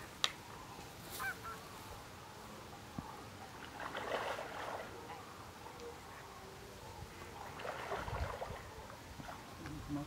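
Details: Red deer stag roaring in the rut at 19:20 after sunset, very far off over water among islands where hinds and young stags roam; two drawn-out hoarse roars about four seconds apart, faint under steady background noise.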